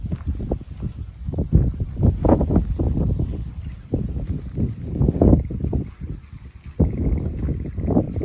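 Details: Golden Retriever out walking by a babbling river ahead of rain; busy locomotive-like huffing, around four breaths per second, steady and breathy throughout, with stream noise in the background.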